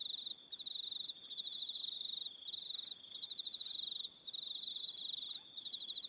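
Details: On New Zealand's Aroha Island in the evening, crickets keep up a bright high trill broken by short pauses roughly every two seconds, with layered higher chirping bursts.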